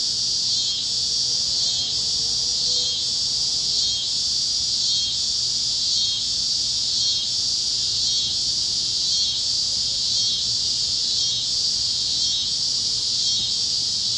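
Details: Evening chorus of cicadas over the plains of Kansas at sunset, a bright, shrill buzz throbbing in regular waves about once a second throughout, with a faint lower warble near the start.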